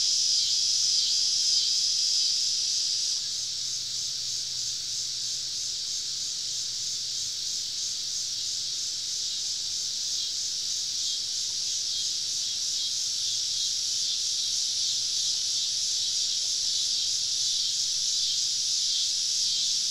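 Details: Wild cicadas surrounding a woodland campsite on a southern summer evening. They form an unbroken, hissing, high-pitched wall of sound, a little louder in the first seconds, over a faint low hum.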